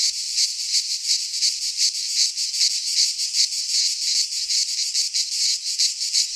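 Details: Cicadas singing in midsummer in a Greek pine forest: a dense, continuous shrill buzzing chorus with rapid pulsing throbs, energy concentrated high, no other sounds present.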